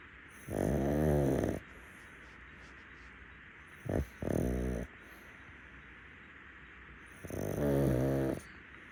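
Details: A rescue pug named Muntaro sleeps on a futon at nap time, giving three rattling snores about three seconds apart, each a steady, throaty buzz lasting about a second, one preceded by a short snort.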